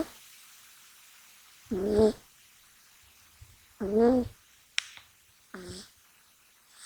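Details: Male American Shorthair kitten sound asleep indoors, not waking even when touched. Three raspy, nasal snoring breaths come about every two seconds, with near silence between them and one brief click.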